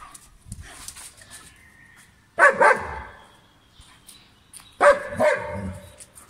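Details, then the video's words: German Shepherd dog in Pakistan barking: two loud, harmonic-rich single barks about two and a half seconds apart, each followed by a shorter echoing tail, over faint background rustle and distant chirps. "German shepherd dog video"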